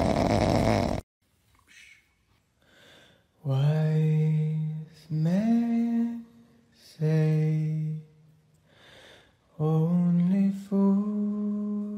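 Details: A brief burst of noise opens, followed by low, steady humming or chant-like singing in long held tones that slide upward between phrases. No animal sound stands out.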